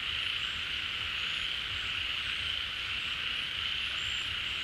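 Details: Pond frog chorus in the rainy season, frogs drawn to newly returned water. Smooth, constant high-pitched drone with faint brief whistles above it and low rumble beneath.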